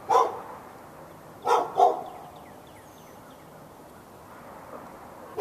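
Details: Dog in Raleigh, North Carolina, barking continuously at neighbouring dogs on February 15, 2012; one bark, then a paired double bark, then a pause before a final bark cut off at the end, with light chirping behind.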